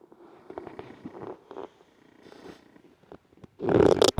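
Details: An Olde English Bulldogge snores while sleeping in soft, rough, rumbling pulses, ending in a sudden loud rustle.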